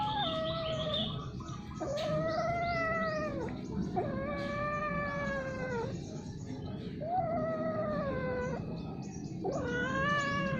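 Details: Domestic cats mating, coupling repeatedly and at length, give strange drawn-out yowls: four or five long wavering wails of a few seconds each, with rich harmonics and short pauses between them, over a faint background hum.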